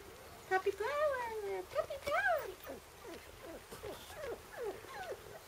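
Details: Four-week-old Shiba Inu puppies from Tama's litter, on their first few minutes outdoors, give drawn-out whines that slide down in pitch, then shorter rising-and-falling whimpers, with a human voice briefly audible.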